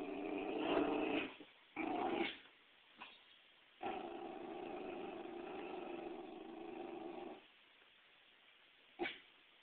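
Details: A female Pembroke Welsh Corgi, afraid of and hating a volleyball brought in for herding, gives long low rumbling growls. Two short bursts come first, then one sustained growl of about four seconds, with brief sharp noises between them.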